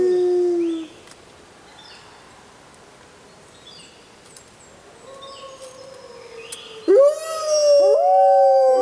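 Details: Six Arctic wolves in a group howling concert: a strong low howl fades out within the first second, then after a quiet gap a soft, drawn-out howl rises, and from seven seconds louder overlapping howls join in, steady, then sliding upward.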